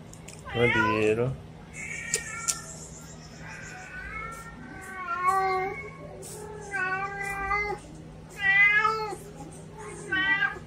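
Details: A pet cat gives a series of meows, beginning with a sharp rising-falling cry, then longer wavering mews and quick chirpy ones, with brief pauses between; faint clicks and a soft constant low hum in the background.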